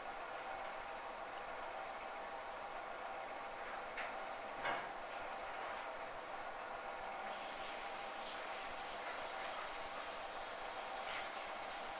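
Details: Steady broadband hiss with a couple of faint knocks, and no animal voice.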